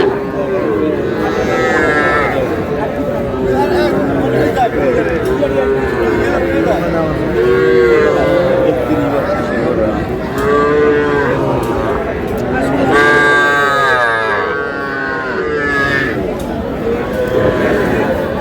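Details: Busy livestock market in Comilla, Bangladesh, 12 May, where small bull and heifer calves are traded: repeated overlapping calf moos, some bending upward, with loud human chatter and bargaining throughout.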